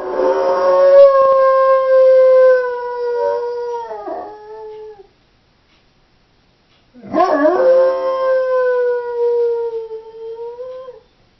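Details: Doberman female alone in the house howling: a long steady tone sagging and breaking at its close, a two-second silence, then a new howl opening with a wobbling dip before settling level and falling away.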